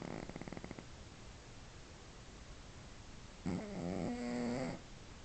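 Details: Domestic cat asleep, snoring loudly; a short fluttering burst of rapid pulses opens, then a long droning snore with a steady low tone near the end.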